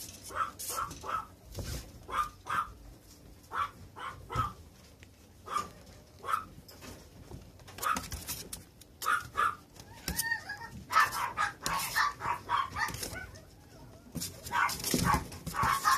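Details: Male puppy from a breeder, yelping in high, tonal barks, first singly every second or so, then in quicker clustered runs toward the end, with rustling and knocks between calls.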